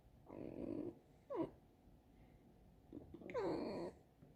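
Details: Alisa, a pet fox kept at home, squeaking in the kitchen: two bursts of nasal, whining squeals with sliding, downward-bending tones, plus a short sharp yelp in between, in a quiet indoor room.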